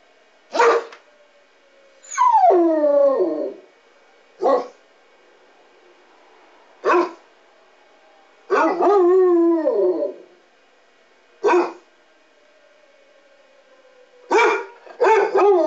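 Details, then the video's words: Two pet Basset Hounds, a 6-year-old tri-color and an 8-year-old tan and white, howl along with monthly public address siren tests; short barks alternate with drawn-out falling howls, while a faint steady siren tone runs underneath. "Howling Basset Hounds"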